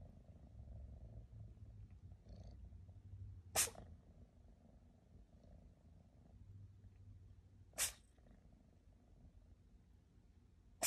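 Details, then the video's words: Female rescue kitten, adopted at three months old, sneezing: three sharp, explosive sneezes about four seconds apart over a steady low purr. "Kitten sneezes. Rockie has the cutest sneezes!"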